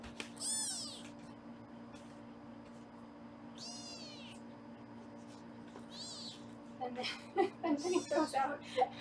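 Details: Kittens in a Los Angeles foster room during weighing give four high, arching meows spaced a few seconds apart, with a woman talking and clattering handling noises near the end.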